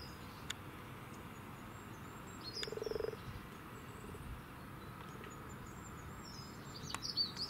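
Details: Wild common frogs mating among frogspawn in Cambridge, UK, on 8 March 2019 before noon; a single low, purring pulsed croak lasting about half a second, with faint bird chirps overhead.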